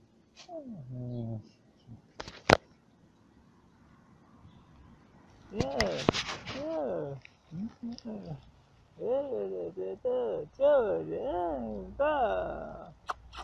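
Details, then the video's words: Yard dog puppies, met along the way while traveling, reacting as they are approached: a run of short, rising-then-falling whines and yelps repeated in quick succession during the second half, after a human voice and a few sharp clatters. "Funny Puppies Of A Yard Dog"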